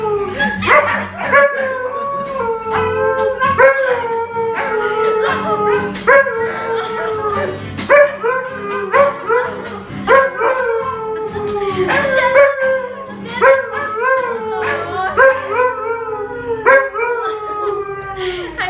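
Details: Pet Alaskan Malamute 'singing' indoors, howling loudly in a way likened to a cow's bellow; a long run of falling, drawn-out harmonic howls, one after another, with background music and people talking and clapping.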